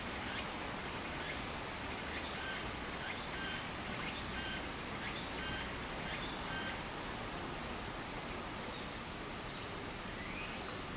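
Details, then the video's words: Loud summer cicada buzz beside a Japanese stream: an unbroken, intense high-pitched shrilling with a sustained tonal band, briefly joined by a fainter pulsed phrase, above the steady rush of flowing water. "小川の流れと蝉の声 自然音 ～夏～ Japan Sound of nature Cicada's voice"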